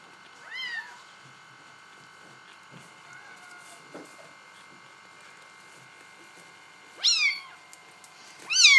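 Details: Indoors, Bengal kittens give a high, falling meow, then long quiet with faint room hum and small noises, followed by two louder, overtone-rich meows close together near the end.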